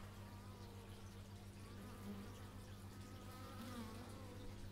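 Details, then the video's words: Bees recorded in stereo with an x/y microphone, giving a low steady droning hum with faint harmonic bands that rise and fall slightly as individual insects pass closer. "Bee movie but its just bees"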